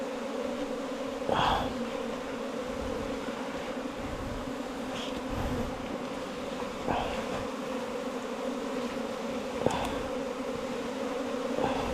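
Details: Colony of bees housed in a long bamboo pole, four metres in length, giving a continuous low drone; several short scraping or tapping noises punctuate the constant hum.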